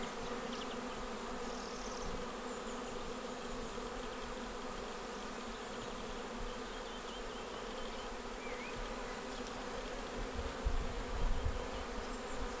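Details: Honeybees swarming into a bait hive swarm trap on 19 May 2021, all over in about 30 minutes. An even, sustained humming buzz, with a faint bird chirp partway through and some low rumble near the end.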